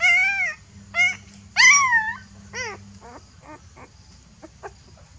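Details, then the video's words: A frightened puppy calling to its mother for help: a run of loud high whines sliding downward, then a string of shorter, fainter yelps fading out, with a low steady hum underneath. "Mom, Please help me! I am feeling fear (Puppy call mother)"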